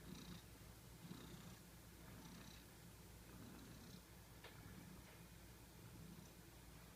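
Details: Sleeping pet cat purring and snoring, a steady low rumble punctuated by faint airy breaths about once a second, quiet and close with a faint click near the middle.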